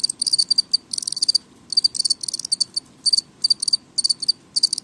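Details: Noisy house crickets giving shrill pulsed chirps, each burst made of several quick clicks, repeated about every half second with brief gaps, above a soft low background hum.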